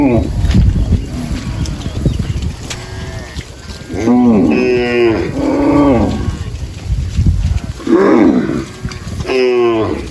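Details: Cows grazing in a rice field give several drawn-out, harmonic moos over a low rumble of background noise.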